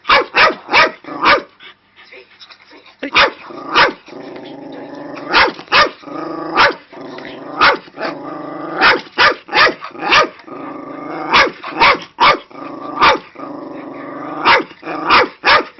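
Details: A female Cairn Terrier, angered by watching a video about dogs, barks sharply in rapid clusters of two or three, with a low rumbling growl between bursts, sounding agitated.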